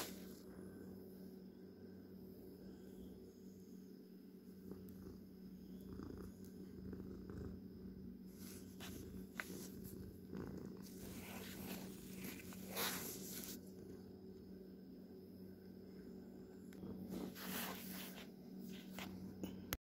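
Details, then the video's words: Pet cat purring indoors: a quiet, steady low rumble that runs throughout, broken by brief rustling and handling noises, most noticeable around the middle. "Not really ASMR (tho there is purring) My sweet cat"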